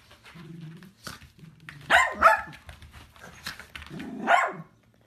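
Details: Dachshund, or sausage dog, giving several uneven barks over five seconds. Two loud, rough bursts stand out near the middle and end, with softer, lower whines and murmurs between them in a quiet indoor-sounding space.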